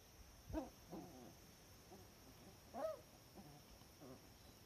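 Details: Cardigan Welsh Corgi puppies, the litter of Lupu, growing used to the garden on 16 October 2020 and much livelier than a week before; soft, short whimpering yelps come in scattered bursts over a steady faint background hiss.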